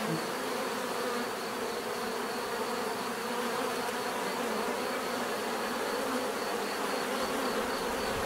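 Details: Bees buzzing steadily, a dense continuous hum with layered drones of many insects and a faint steady high whine above, no breaks or other sounds.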